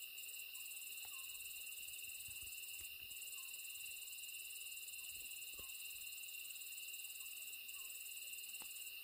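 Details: Grassland insects singing, a steady, unbroken chorus of shrill high trills layered in several pitch bands, with occasional faint clicks and no other sounds.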